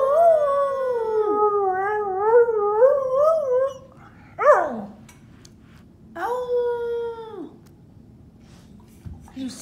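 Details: An English Springer Spaniel singing along with its owner: long wavering howls with a trembling vibrato over about four seconds, then a short sharp rising-falling yelp, a pause, and one steady drawn-out howl that drops away at the end.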